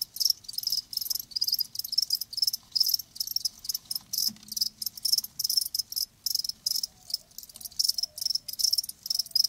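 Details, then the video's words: Live crickets chirping in a natural setting: rapid bursts of high, shrill pulsed trills repeating in quick irregular rhythm, several callers overlapping, with faint low background hum. "Live Crickets 60min "Natural Sound""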